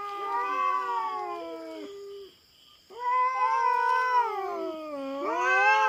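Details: Wild-living feral cat invading farm cats' territory in the Philippines, facing a black cat: drawn-out caterwauls sliding down in pitch, a short silence, then a swelling, wavering yowl that rises at the end over a steady high background buzz.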